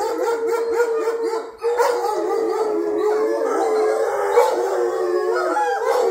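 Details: Indoor chorus of pet wolfdogs including Jake, Honey and Coco, who joined in after Honey began howling over a petting game; one steady sustained tone runs beneath layered wavering howls, with a brief dip near the start.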